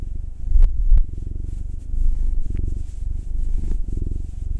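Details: Purring domestic cat under massage, from a home with a black male cat, nine, and a female tortoiseshell Munchkin, two. Rapid, throbbing low purr in breath-length bursts, with a couple of sharp taps near the start.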